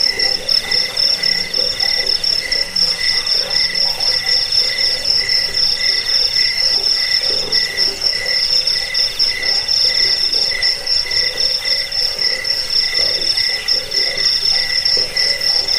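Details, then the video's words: Several crickets in a recording meant to chase away rats, help with sleep and teach caged birds: a steady piercing trill overlies a lower pulsed note that swells and fades, with soft low pulses in the background. "Suara jangkik pengusir tikus pengantar tidur"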